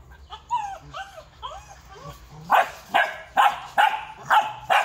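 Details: Vietnamese kennel-bred purebred large-line Rottweiler first gives several quiet, wavering whines, then breaks into loud, regular barks a little under half a second apart.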